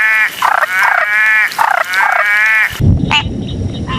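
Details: Frog chorus of rapid, harsh, ringing croaks in quick series, ending with an abrupt cut to a brief rumbling noise and faint higher calls.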